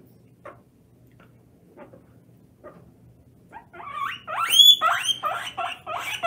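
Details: Pet guinea pig during a bath, possibly its first time in water, breaking into loud, shrill wheeks: rapid high-pitched rising squeals repeated several times a second after a few quiet seconds of faint splashing.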